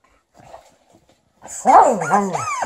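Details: Liza, a female Alaskan Malamute, angry at her new chicken toy: faint soft sounds, then a loud, wavering, low woo-like vocalization with rising and falling tones, alongside brief high squeaky noises.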